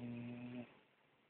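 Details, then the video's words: A female dog asleep gives a single brief, voiced, humming snore lasting just over half a second, then fades into quiet room noise. "Dog snores"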